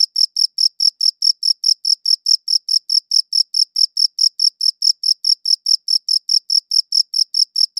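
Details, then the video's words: A cricket chirps in an even, rapid series of bright, high pulses, roughly four per second, with nothing else audible behind it. "Cricket Chirping Sounds"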